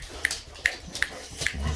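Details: Boxer dogs indoors reacting to a vacuum cleaner: four short, sharp barks spaced roughly 0.4 seconds apart over a steady broadband background noise, with a person's voice nearby.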